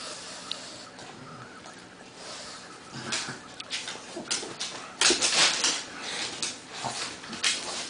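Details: Pug and Bernese Mountain Dog wrestling indoors in play; scuffling bursts of noisy growl-like sounds and snorts, louder and denser in the second half, with a quiet indoor background.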